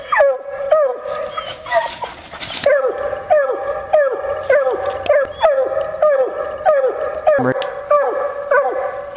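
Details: Female Bluetick Coonhound barking rhythmically while coon hunting, with falling, harmonic notes nearly twice a second. A burst of loud broadband noise interrupts briefly early on and a sharp crack comes near the end.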